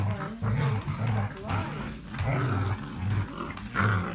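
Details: English Springer Spaniel, 5 February 2017: a continuous low growl, rough and rumbling, swelling and easing in pulses every half second or so for about four seconds.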